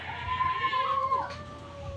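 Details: Cats fighting and yelling at each other: one long, steady, strained yowl held for about a second before breaking off, while a second, lower and flatter wail carries on beneath it to the end.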